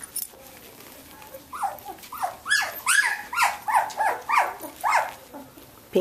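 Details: Ten 17-day-old Samoyed puppies of Athena's litter playing indoors; after a quiet start, a steady train of squeaky, rising-and-falling whimpers comes about twice a second, with faint human speech beneath.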